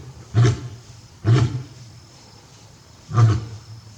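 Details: Captive male lion at Tobe Zoo in Japan, 5 October 2021, calling repeatedly toward the backyard for a missing female; three short, deep, grunting roars at irregular intervals with quiet background between them.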